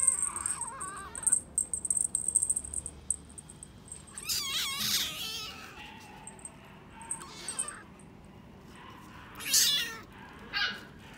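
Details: British Shorthair cat at a pet shop in Suita, Japan, giving a few short wavering meows among clicks and rustles, with a steady high electronic whine in the background.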